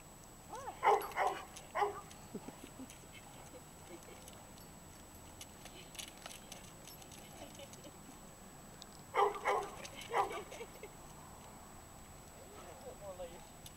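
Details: Great Dane up for adoption, playing with another dog; short harmonic vocal bursts like grumbles or whines around one and two seconds, then again near nine and ten seconds, between stretches of quiet indoor hum.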